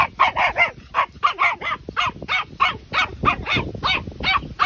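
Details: A 12-week-old Patterdale Terrier puppy gives rapid, high, sharp yaps, about three a second and around sixteen in all, in an even, insistent run. A person speaks briefly just before.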